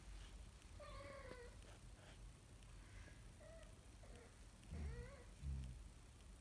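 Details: A kitten learning to walk gives thin, high meows, some short and flat, others rising then falling, over a low background rumble.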